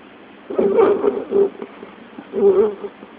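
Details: A male Doxle puppy (mini Dachshund and Beagle mix) snores in short, throaty rumbling bursts with brief quiet gaps between breaths.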